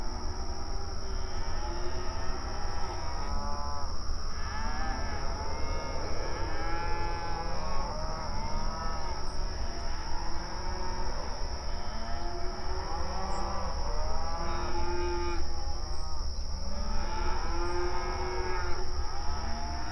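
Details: Open range cattle grazing on an outdoor pasture, mooing and communicating with each other: many overlapping low, drawn-out moos with rich harmonics, rising and falling, coming one after another over a steady background hum.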